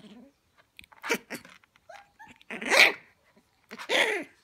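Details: Male Shiba Inu puppies, 19 days old, playing together: short high yips and whiny squeaks in scattered bursts, building to two louder, strained squeals in the final seconds.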